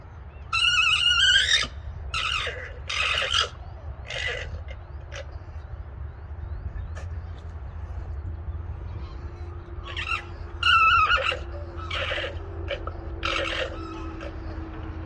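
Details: Alpaca giving a shrill, pulsed whinnying call that rises slightly in pitch, heard in two loud bursts near the start and around eleven seconds, with shorter squeaky notes between them over a steady low rumble.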